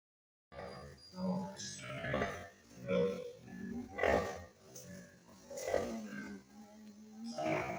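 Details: Pigs at a pig farm raising piglets, giving a series of low, rough grunts and snorts in uneven bursts, some drawn out and droning, with background music and some voices mixed in.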